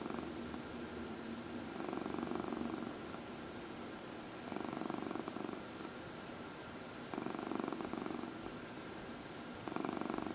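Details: Indoor cat purring steadily while being massaged; low buzzing purr swells and fades in regular cycles, four bursts across the stretch, over a faint background hum.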